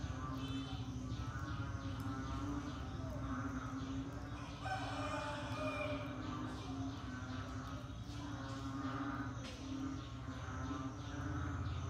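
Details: Rainy-season frog chorus: many overlapping groaning calls pulse in quick succession, with one louder bleating call near the middle, above a continuous low droning hum.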